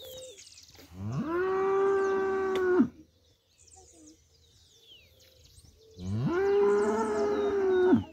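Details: Cows where milk is bought for breakfast; two long, steady, loud moos of nearly two seconds each, separated by a three-second pause with faint bird chirps in the background.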